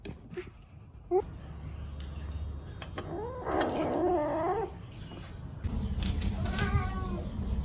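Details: Cats fighting: drawn-out, wavering yowls rise and fall in two bouts, the second more strained, over a low rumble of background noise with a few sharp knocks.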